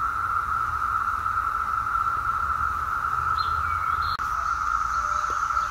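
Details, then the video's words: Brood X periodical (17-year) cicadas in Fort Totten woods, Washington DC, 2021: a steady, droning whir that never lets up, with a few faint bird notes briefly near the end over a low background rumble. "17 Year Cicada Sounds w/ bird song"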